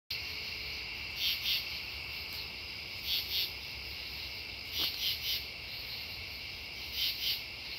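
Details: True katydids calling at Devonwood Conservation Area on September 10, 2015: raspy, buzzy double pulses repeated about every two seconds, with fainter distant katydids answering over a steady insect hum.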